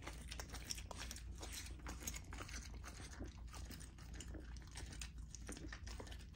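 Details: Lilo, a female golden retriever puppy, eats a raw dinner of chicken drumstick, thigh and sockeye salmon indoors: dense crunching and gnawing with sharp irregular bone cracks over a steady low rumble.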